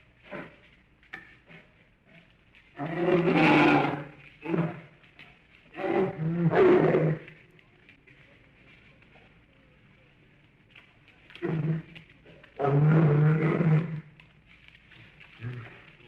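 A bear gives several deep, rough roars, each lasting one to two seconds, with quiet pauses between.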